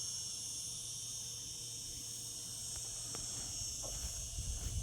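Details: Short stretch of cicadas singing in summer, an even, high-pitched sizzling buzz without breaks, over quiet low rumbling.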